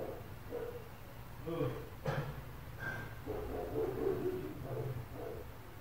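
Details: Neighbours' dogs around an apartment bark in quick, muffled runs, short gruff yelps trailing off, set against a low droning background and a sharp knock.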